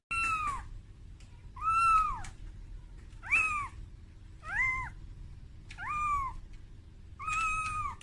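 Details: Kitten Momo calling its mother Amora in fear after being taken from its room for the first time; six plaintive, arching meows, some falling sharply at the end, with faint background rumble.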